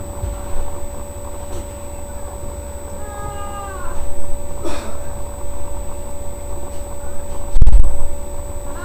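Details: Sasha, a pet cat giving birth to three kittens on 14 May 2011, lets out one drawn-out, falling meow over steady low rumbling background noise, with a sharp thump near the end.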